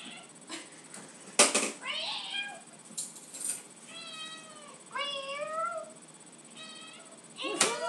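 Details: Pet cat Lucy, very vocal at home when she wants tuna, gives a string of harmonic meows, some rising then falling, several in quick succession, with a person's voice and clicks between them in a small room.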